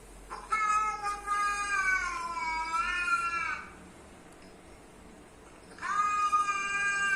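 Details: Pet cat responding to the noises of other cats: a loud, wavering meow lasting about three seconds, a quiet pause, then another long meow starting near the end.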